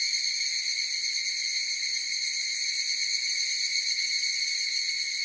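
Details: Several higurashi cicadas calling together, producing an even, piercing high-pitched drone with a quick tremolo texture and no pauses or background sounds.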